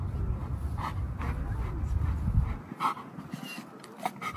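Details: Dogs searching for their mom give quick breathy pants for a few seconds, then fall quieter with a few soft, separated huffs.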